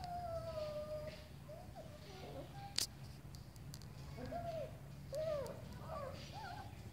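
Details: One-month-old German Shepherd puppy walking backward, giving thin high whines: a long steady whine first, then short arched whimpers rising and falling, with a sharp click midway and low background hum.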